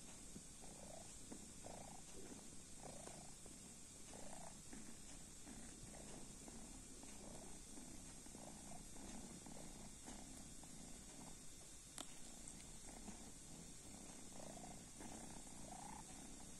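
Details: Drowsy purring from a sleeping kitten: rhythmic low rumbles repeating roughly every second, with a single sharp click near the end and a constant hiss underneath.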